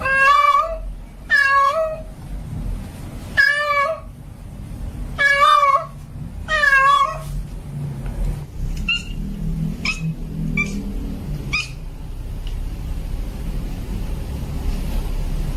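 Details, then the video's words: Female domestic cat in heat calling for a male: a run of loud, wavering harmonic yowls in the first seven seconds, then fainter short cries over a steady low rumble of traffic-like noise. "Suara Kucing Betina Lagi Birahi Memanggil Jantan Minta Kawin"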